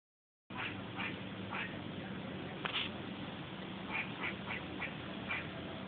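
A squirrel gives short, harsh, quacking calls in irregular bursts.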